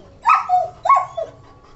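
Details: German Shepherd, an original-breed dog, barking while playing with a ball during training: two sharp, mid-pitched barks about half a second apart, each trailing into a shorter falling yelp, over a quiet background.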